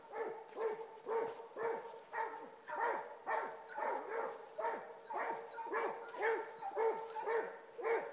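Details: Two Basset Hounds running a rabbit trail bay in a rapid, overlapping chorus of deep, drawn-out bawls.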